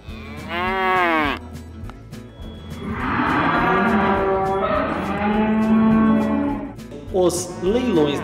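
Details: Cattle at a livestock auction fair where bulls, cows and calves are sold: a falling harmonic moo near the start, then a long drawn-out moo lasting about three seconds, and another short moo near the end, with faint background music.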